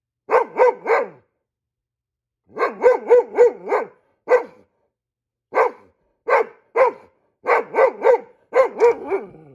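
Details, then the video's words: Repeated volleys of sharp barks from a Goldendoodle reacting to squirrels like a guard dog, bursts of two to four barks alternating with single ones, steady and insistent across the whole stretch. "Goldendoodle barking like a guard dog ... when he sees squirrels"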